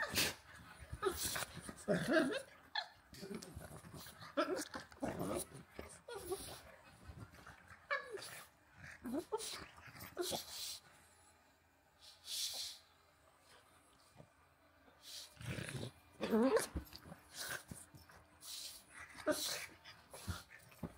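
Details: Pug Walter and husky Rhett Butler wrestling in play; dense, continuous bouts of rough growling, huffing and scuffling noises that rise and fall over about twenty seconds, briefly easing midway before picking up again.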